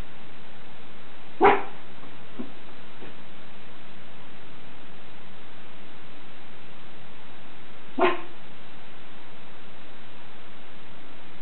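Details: Schipperke Captain Jack Sparrow guarding the house lets out two isolated, loud, abrupt barks about six seconds apart, with faint low hum in between.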